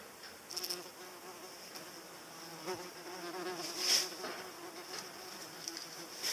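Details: Paper wasp, a mini-hornet lookalike, buzzing close by; a wavering low wing drone rising and fading as it passes, with sharp high clicks and rustles scattered through.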